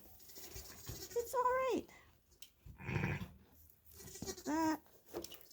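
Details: Two-day-old male lamb on a sheep farm, handled while his tail is banded for docking: two short, wavering, falling bleats with rich harmonics, separated by a farmer speaking soothingly and handling noises.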